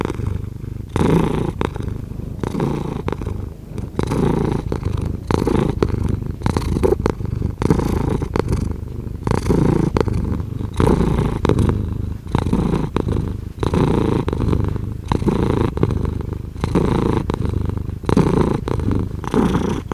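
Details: Continuous low cat purr with little pause between breaths, overlaid by frequent short clicks and rustles from close contact or movement.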